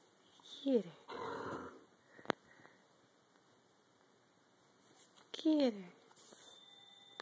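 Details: Rat terrier puppy giving two short downward-sliding whines about five seconds apart, with a burst of rustling after the first and a person's voice and light knocks in between.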